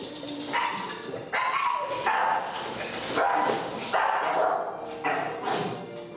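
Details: A two-month-old female Staffordshire Bull Terrier puppy, during barking training, barks in sharp, high-pitched yaps about once a second in an uneven rhythm, with music playing underneath.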